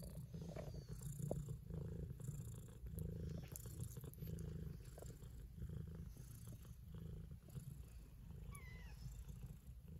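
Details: Kittens eating and purring with pleasure, a deep continuous rumble rising and falling in slow waves, broken by small clicks, soft chewing and a brief faint high squeak near the end.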